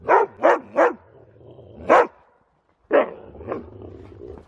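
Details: Siberian Husky having snow zoomies: three quick barks in a row, a lone bark after a pause, then two more, with quiet rustling between.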